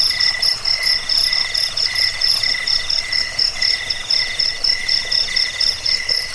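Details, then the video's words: Cricket chorus, a recording meant to drive away rats, lull listeners to sleep and serve as a training model for cage birds: fast, trilling high chirps repeating about four times a second, layered at several pitches without pause. "Suara jangkik pengusir tikus pengantar tidur"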